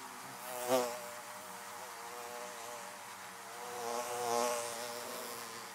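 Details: Honey bees at their hives, a rich harmonic droning buzz with one sharp close pass early and a slower swelling approach later, over the constant hum of the colony.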